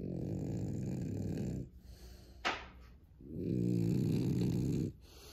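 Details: French Bulldog asleep between a person's legs, snoring: two long low rumbling snores about 1.6 seconds each, separated by a pause with a brief sharp snort or sniff in between.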